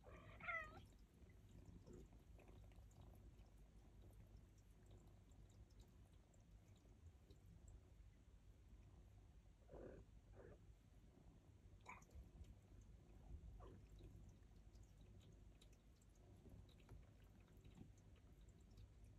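Turkish Angora kittens give a brief high meow over a steady low rumble and soft sounds of eating.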